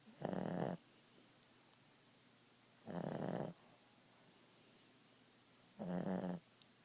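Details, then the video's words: Ziggie, a Boston Terrier napping indoors, gives three rough, low, rattling snores roughly every two and a half seconds, each about half a second long, with a hushed room between them. "Snoring boston beauty."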